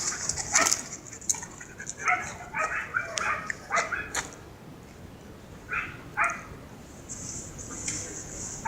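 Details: Siberian Husky named Mero out for a relaxing walk, giving short, sharp bark-like yelps in scattered bursts, some doubled, over a steady high insect-like buzz and faint talking.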